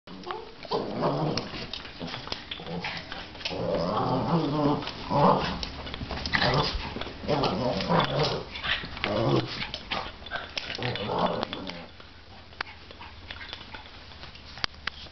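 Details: Two Boston Terriers playing growl, grumble and snort in rough bursts, with a little human speech.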